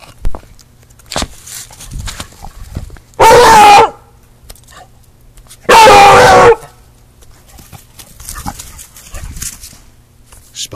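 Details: Loud, lively Beagle giving two long, harsh barks about two and a half seconds apart, each lasting most of a second, with quiet household sounds and a few soft Spanish words between them.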